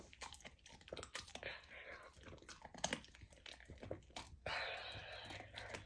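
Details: A golden retriever puppy eats raw lamb for the first time: irregular crunches, smacking bites and brief tearing sounds follow closely, then steadier, wetter chewing near the end, recorded close up indoors.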